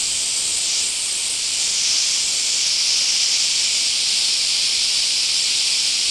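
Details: Cicadas (semi) in the Kansai area of Japan on a hot July–August summer morning, calling from about 5:30 or 6 a.m.: a loud, steady, high-pitched buzzing drone that fills the whole stretch without pause.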